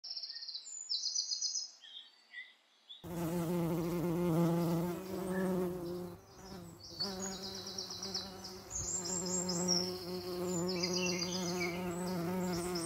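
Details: Common eastern bumble bee (Bombus impatiens), wing buzz.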